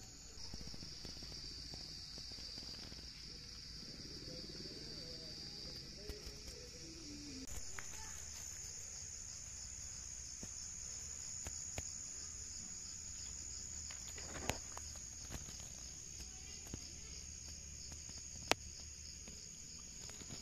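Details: Cicadas in Nepal, heard during a wild mushroom hunt, drone in a steady, high-pitched continuous buzz that shifts slightly higher partway through.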